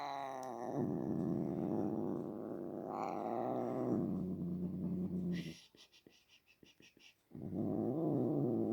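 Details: Pet cat making low, drawn-out growling moans with a strongly buzzing, harmonic tone, pitch wavering slightly; a brief gap of clicking and rustling noise near the end, then the moaning resumes.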